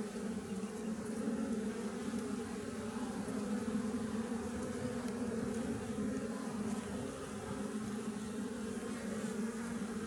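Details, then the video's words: Western honey bees, Apis mellifera, from a wild colony nesting in a honey tree: a thick, unbroken swarm hum, steady in pitch and loudness throughout. "Wild Honeybees 'Apis mellifera' - Honey tree hunting"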